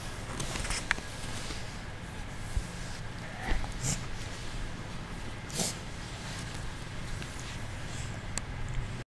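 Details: Purring kitten pretending to be asleep, giving an unbroken deep rumbling hum, interrupted by a few brief sniffs and soft breathy bursts around the middle.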